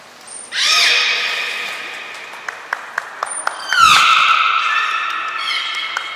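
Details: Belugas Mirai and Nico training at Port of Nagoya Public Aquarium, 20 February 2021: a rising harmonic squeal, a string of sharp clicks, a high trainer's whistle, then a loud descending-then-level harmonic call.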